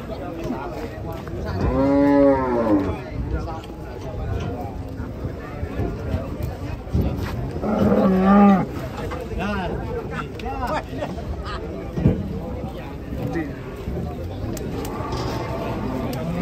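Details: Giant fat cattle lowing: two long, deep moos, each rising then falling, about six seconds apart. Quieter lowing follows near the end. Murmured voices and faint music sit underneath.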